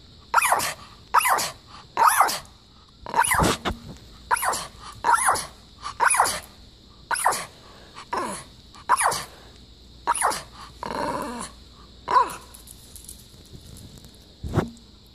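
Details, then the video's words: In Boulder, Colorado, a female pet dog in a sitter's care barks squeakily to ask for something, a long run of about fifteen short, high yaps spaced roughly one second apart over a constant electrical hum. "Squeaky Barking!"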